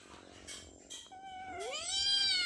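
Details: A hungry cat asks for food while a person promises to feed everyone. Brief murmurs come first, then one loud meow that sweeps upward and holds steady to the end.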